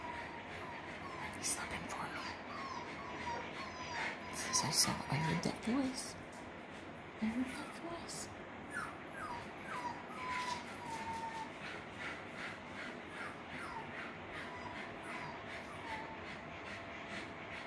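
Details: Six-week-old Parson Russell Terrier and Russell Terrier puppies at Blossom Valley Kennel give a run of short whimpering whines, some rising, some falling, scattered through the recording while a woman talks nearby over steady background hiss.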